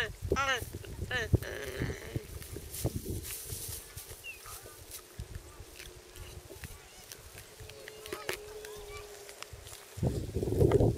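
Geladas give a run of wavering, bleat-like calls, then softer grunts, with a low steady hum behind.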